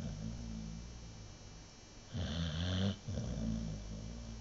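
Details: American Bulldog named Nova in a deep sleep, snoring indoors: low rumbling breaths, then one louder rasping snore with a faint gurgling tail.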